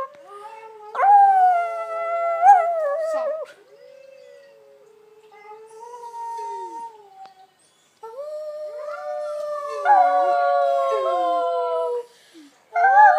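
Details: Dogs kept as pets break into howls: drawn-out wavering cries with pitch slides, a lower quieter howl in the middle, then a loud overlapping chorus that stops abruptly before one more starts.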